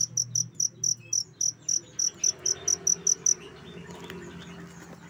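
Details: Cricket chirping, used as a training sound for songbirds: a high, crisp pulsed chirp repeated about four times a second for three seconds, then stopping, leaving faint low background hum.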